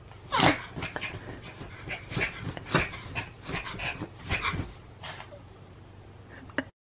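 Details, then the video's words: Cream poodle grumbling in annoyance at not being given a toy: a run of short breathy whines and huffs repeated about every half second, with a person speaking quietly nearby. "장난감 안준다니까 짜증내는 강아지"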